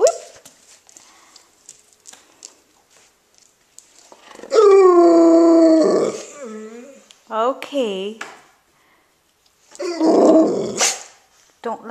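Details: Pet dog indoors, recorded February 7, 2013, reacting with displeasure to a singing toy fish: a long howl with a falling tone, then two short arched whining calls, with a woman's soft talking before and after.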